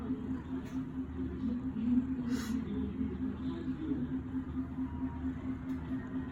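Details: Domestic cat purring: a low, continuous rumbling purr that pulses rapidly and gently swells and fades, over a steady background hum, with a few faint clicks and rustles.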